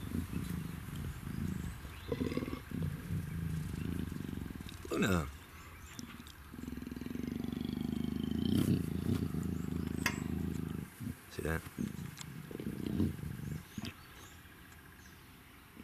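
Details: An almost two-year-old female black African leopard, two days into her first heat, gives deep, rumbling growls at a big cat breeding centre, with a person talking nearby.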